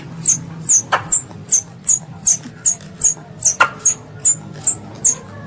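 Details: Young squirrel, described as a pest, calling its mother: rapid high, thin downward-slurred chirps repeated about two and a half times per second, steady and evenly spaced, with a couple of sharp clicks and a faint low hum beneath.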